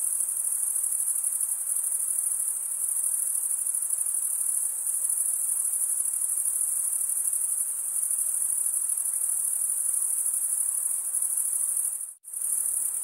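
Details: Male crickets stridulate with their wings, a constant thin, high ringing trill that carries on evenly, then cuts out abruptly for a split second near the end before resuming just as before.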